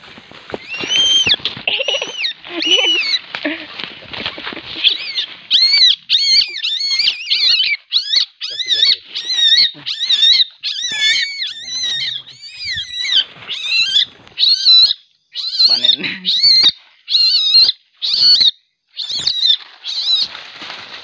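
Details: Aggressive young common palm civet at night, later released to the wild, giving a long run of harsh, high-pitched screeching squeals, repeated nearly every half second, each rising then falling.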